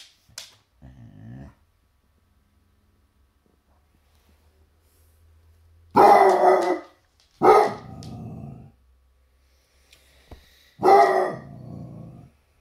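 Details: Milhouse the Basset Hound barking at a toy T-Rex indoors; a few deep, hoarse barks spaced irregularly, each a broad burst followed by a growly tail, with quieter toy or rustling sounds early on.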